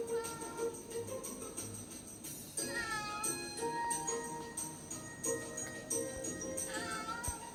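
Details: Pet cat calling while pawing at a TV showing a cat catching a pigeon, 10 October 2020; a couple of short rising-falling meows partly buried under jingling, musical television sound.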